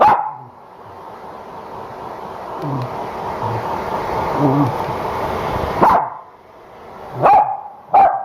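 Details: Corgi bitch resisting the hair dryer after a home shampoo. The blower roars alone for several seconds, then three quick, sharp barks break through near the end.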